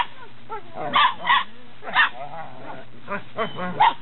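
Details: Belgian Malinois Shepherd puppies, eight weeks old, born 29 November 2015, recorded 27 January 2016 in Williston, Florida; a few short harmonic yips and whiny squeals in separate bursts over a low steady hum, with faint voices.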